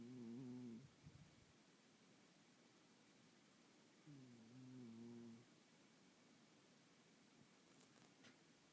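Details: Domestic cat snoring in a small room: a rasping, buzzy snore, then another longer one a few seconds later, with faint clicks and quiet background hiss between breaths.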